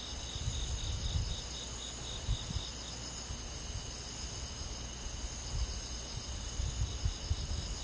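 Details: Countryside crickets chirping through a summer night in the forest: an even, high, ringing trill chorus layered in several pitches, constant across the stretch, above a muffled low rumbling background.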